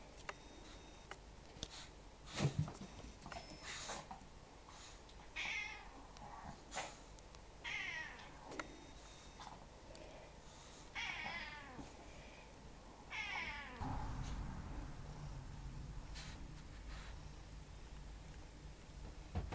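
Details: A house cat named Tora, let into the living room and wanting back outside almost at once, gives about four soft, drawn-out meows spaced a few seconds apart, with faint knocks and quiet room noise between.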